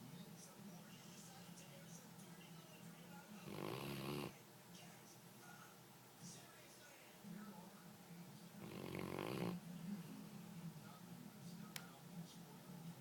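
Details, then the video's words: Two sleeping pet dogs, Dee dee and Lillie, with Dee dee the loud one; broad rasping snore bursts about five seconds apart, each lasting under a second, over a low steady hum, with a brief voice at the end. "Snoring dogs"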